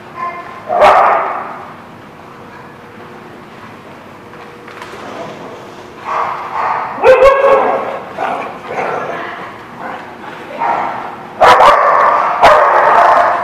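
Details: Dogs barking at The Barking Lot, recorded 12/05/16: loud, harsh barks in bursts, several overlapping, with quieter gaps between volleys and a few sharp clicks or thumps.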